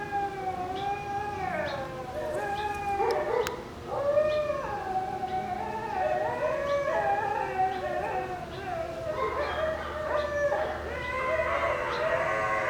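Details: Two Shiba Inu puppies give high, wavering, fox-like screams that overlap, rising and falling in uneven bursts as they play over a bone.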